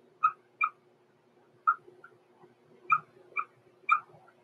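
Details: Six-week-old blenheim Cavalier King Charles Spaniel puppies, born November 14, 2022, in an indoor pen overnight. Six short, clear squeaky yips in two loose groups of three, over a low steady room hum.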